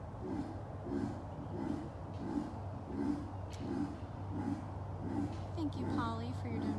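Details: In the morning after breakfast, a sleepy female Amur leopard in her den gives a steady series of low, rasping grunts. The calls are loud and echoing because she is in the den, and a person is talking nearby.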